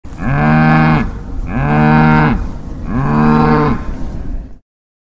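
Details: A cow mooing three times in a row, each moo a deep, droning, harmonic call about a second long, slightly rising then falling, separated by short pauses, and ending in silence.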